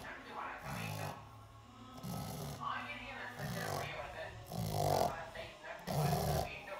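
A pug snores in low, rumbling snorts that repeat with each breath, a little over once a second.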